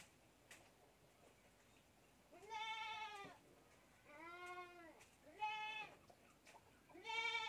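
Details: A young goat kid drinking milk from a bottle gives four loud, wavering bleats, each with a rising-then-falling arch, spaced over several seconds against a quiet background with faint clicks.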